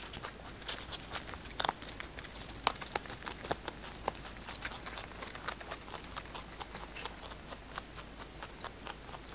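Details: Kkotdol-i, a large pet rabbit, eats fresh basil indoors in a close-miked ASMR recording. Its crisp crunching comes as sharp, irregular clicks, several per second, with a few louder bites near the start over a quiet room.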